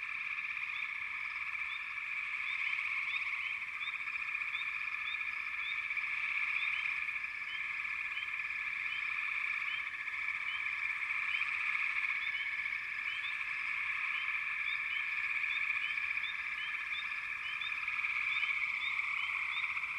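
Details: Frog chorus: a steady wall of overlapping trills from numerous frogs, with rapid short chirps sprinkled on top and slight swells in loudness.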